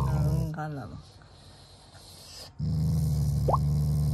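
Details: A Shiba Inu, a family pet, growls as a show of affection rather than anger toward its owners. A low steady rumbling growl opens, a man's voice breaks in, then a longer growl resumes after a pause, with one brief high squeak.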